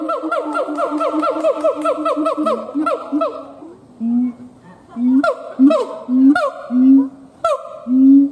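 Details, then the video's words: Male siamang gibbon howling: rapid run of loud, ringing, harmonic-rich barks repeated about once a second and slightly rising, then a pause filled with low swelling booms between sharp whoops. "Siamang Gibbons monkay howling"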